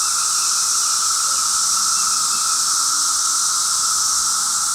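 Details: A steady, unbroken cicada drone fills the air on the fifth day of cicada noise, a dense high hiss with a thinner ringing tone beneath.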